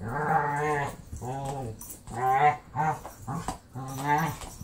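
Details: Foster pit bull sister at play with Marley, her Wookie-like voice heard as loud, drawn-out, harmonic moaning howls, several rising and falling vocal bursts of about half a second each, in quick uneven succession.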